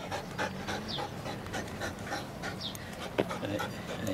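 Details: Flat-coated Retriever puppy, a playful, affectionate female nearly eight months old, panting in quick soft breathy bursts while a woman talks to her nearby.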